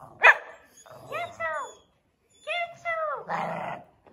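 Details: Samoyed dog reacting to the invisible challenge at home; two drawn-out whining, howl-like vocalisations with falling, harmonic-rich tones, a short sharp sound at the start and a person speaking briefly near the end.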